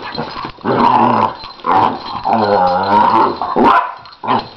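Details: Nine-year-old Lhasa Apso in playfighting with a one-year-old puppy, giving her play howl: drawn-out, wavering growls that swell and fade in three or four bursts, with a short bark near the end.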